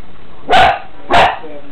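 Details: A new puppy, just brought home the day before, gives two short, sharp yaps about half a second apart over a low steady background hum.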